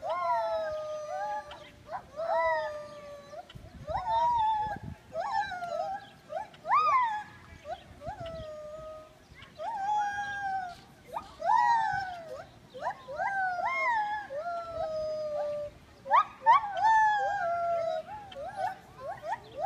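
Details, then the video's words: Singing gibbon delivering a fast, excited run of sliding hoots: short notes that leap upward then fall away, packed closely and rising in intensity, with a brief low rumbling noise partway through. "Gibbon song"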